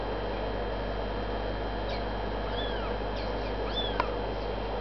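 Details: Kittens of the cat Nagi, 26 days old, indoors, giving four or five faint, thin, high mews, each arching up and falling away, close together over about two seconds, above a steady electrical hum filling the room.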